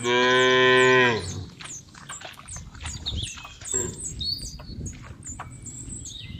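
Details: Cow from a herd kept in an oil palm plantation, Bekri district, Central Lampung, Indonesia, lowing once, a full steady moo cut off after about a second, followed by birds twittering and chirping nearby.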